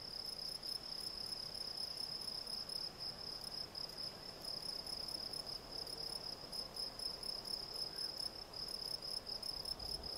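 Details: Field cricket (Gryllus campestris) singing: a continuous, high, shrill chirring made of rapid pulses, steady and unbroken for the whole stretch, with faint rustling background.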